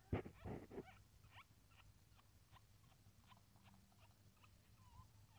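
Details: A civet, a Lombok civet crossed with a pandan civet, gives faint, high, short squeaks in quick succession after a few loud rustling thumps while giving birth for the second time.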